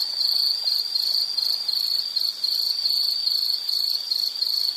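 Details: High insect chirping for background relaxation: a bright, narrow trill falling into rapid, fairly even bursts, loud and unbroken throughout, with only a faint hiss beneath.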